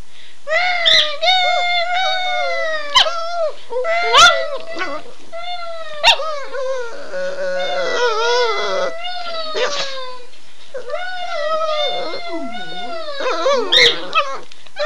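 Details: Two pet dogs howl excitedly after their owner says "Run Guy run": long overlapping wavering howls, rising and falling, with brief breaks and a few sharp clicks, sustained through most of the stretch.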